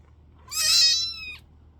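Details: One loud, bright kitten meow, rising slightly and then sliding down at the close, lasting under a second in a quiet room.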